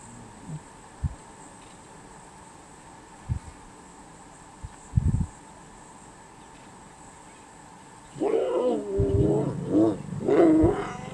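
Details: Lion and lioness mating in Savute, repeating every twenty minutes or so for hours; after a few soft thumps, a loud harsh snarling growl breaks out and rises in short bursts over about three seconds, with a steady high insect-like hiss behind.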